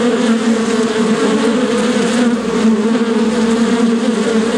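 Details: Continuous bee buzzing, a loud even drone holding one low pitch with layered overtones, steady from start to end without breaks or other sounds.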